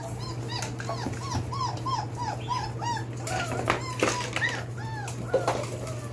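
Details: Four-week-old Belgian Malinois puppies of the Beastie/Barron litter, born 9/26/2021, whining indoors: rapid strings of rising-falling squeaky whimpers repeated several times a second, overlapping voices, occasional knocks, with a constant low electrical hum beneath.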